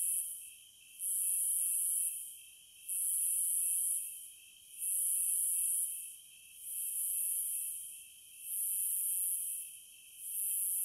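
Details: Cicadas in a wild setting: a high, hissing buzz swells into loud bursts about every two seconds, fading between pulses, over a steady thin whine lower down; no other sounds stand out.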